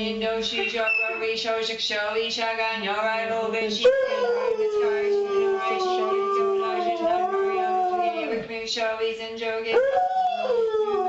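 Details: Three-legged pet dog joining in Buddhist chanting with a soundtrack playing; long drawn-out howls bend slowly downward then swoop back up, over a constant low hum of human voice and music.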